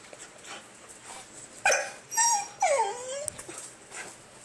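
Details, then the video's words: Basenji named Yoda, a pet dog, calling for attention when he wants to play or go outside to pee; a short sharp yelp followed by two drawn-out tonal whines that rise then slide downward, over faint room background. "basenji's strange sound"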